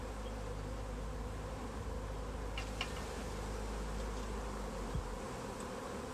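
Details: Honey bees in a swarm on a tree, being bagged; dense low humming buzz dominates, with occasional faint knocks.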